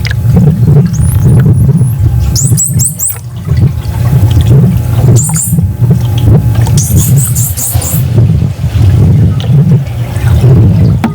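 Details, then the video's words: A captive male bottlenose dolphin answers a playback of a familiar partner's whistle with rising and falling high whistles over heavy low rumble; the first sound is the playback. The partner is a dominant male he had not seen in five years. "all right so here is a dolphin response the first sound you hear is my playback everything else you're hearing is the dolphin responding to its familiar partner"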